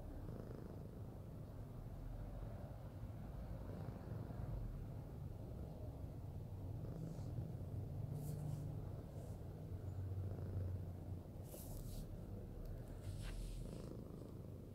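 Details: Fluffy house cat cuddling and purring, a constant low vibrating rumble, with brief rustling and scratching noises near the end.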